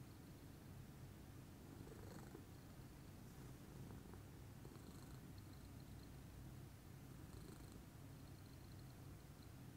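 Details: Steady, deep purring from Pudding, a lilac Scottish Fold, relaxed in the morning; the low vibrating rumble runs unbroken, with soft occasional clicks and a faint high hiss in the background.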